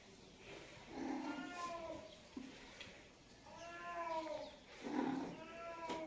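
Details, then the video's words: Cat giving three long, plaintive meows about every two seconds, each a rich harmonic cry that rises then falls, over steady faint background hiss with a couple of small clicks. "Cat meows sound effects"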